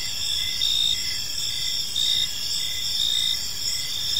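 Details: Crickets chirping in a peaceful park in the evening: a steady, high, shimmering trill with several layered bands, one pulsing louder in short bursts roughly every second and a half, over faint low background noise.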